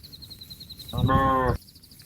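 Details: Cattle calling a companion that is grazing on grass to come home to the barn: one loud, rich, harmonic moo lasting about half a second, with faint high chirping birds in the background.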